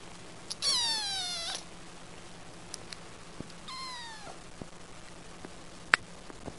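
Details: Kitten mewing twice: high, clear cries that drop steadily in pitch, each lasting under a second, with a few soft clicks and taps between them.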